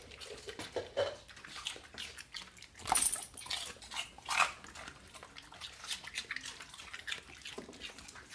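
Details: Rescue dogs eating celery make crisp, crackling crunches, with two sharp louder bites around the middle and softer, irregular munching and mouth clicks throughout, indoors in a small room.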